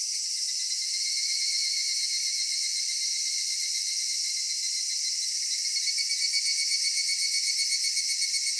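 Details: Cedar forest at summer twilight in Japan, filled with cicada song: an even, piercing high buzz with a steady tone beneath, growing slightly pulsed and louder toward the end.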